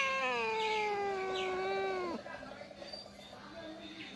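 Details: Domestic cat that refused cake meowing after being told to sing; one long, strained, harmonic-rich meow slowly falling in pitch for about two seconds, ending abruptly, followed by quiet room noise.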